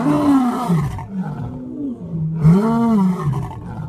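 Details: Lion roaring, with zoo lions mentioned: two long, deep, moaning roars that waver and bend in pitch, heavy and resonant, with a brief dip between them.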